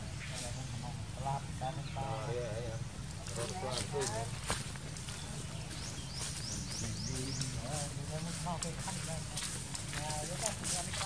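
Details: Monkey Janna crying after being hurt by a strong bite while her mother Jane warns her; a string of short, wavering, arched wailing cries repeats throughout, over a steady low outdoor hum and Thai speech.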